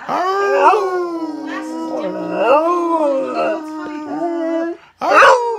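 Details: Pet dog singing: a sustained, even howl held for nearly five seconds with gentle rises and dips, then a brief silence and a short, higher, strained burst.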